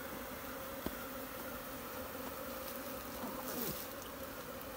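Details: Honey bee swarm in the wild, Nepal, captured with bare hands from a tree for rehousing in a modern hive: a continuous, level buzzing drone with a soft thump early on and a brief swishing sound near the end.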